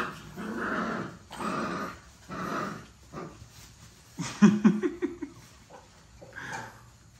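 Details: Puppies play-fighting give rough, rumbling growls in several bursts of about a second each, with short gaps. A few sharper yips come near the end.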